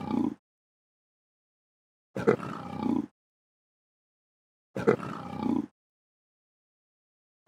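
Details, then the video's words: Leopard roaring: short hoarse grunting bursts, each a rough rasping call about a second long, repeated roughly every two and a half seconds with silence between, deep and low-pitched. "Leopard Roar SFX"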